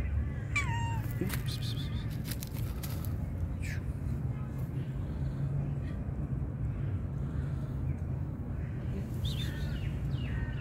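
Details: Pregnant calico cat meowing sweetly: a bright, falling meow near the start, then a couple of softer wavering meows toward the end, over a steady low rumble of background noise.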